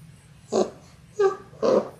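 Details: Three short, tonal yelps spaced about half a second apart come from six-week-old Labrador Retriever puppies of a six-pup litter born January 18, 2022, filmed indoors on a live puppy cam on February 28.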